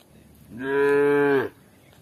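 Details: Cows eating grass outdoors; one short, full moo lasting about a second, steady in pitch and strongly harmonic, rising and fading quickly.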